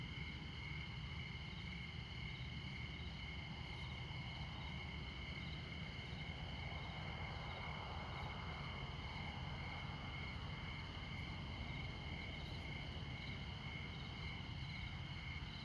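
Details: At midnight in Montana, crickets keep up a steady, high, ringing trill over the constant low rumble of traffic on Interstate 94.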